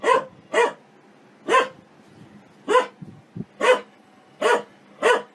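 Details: Dog barking happily for fun: eight crisp, punchy barks spaced roughly every half second to second, with faint low grunting noises in a brief lull midway.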